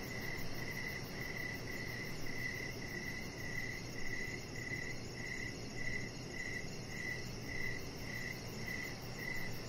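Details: Evening crickets on a deck, clear high chirps in a regular pulsing series about twice each second, accompanied by a soft rumbling background with slight swells.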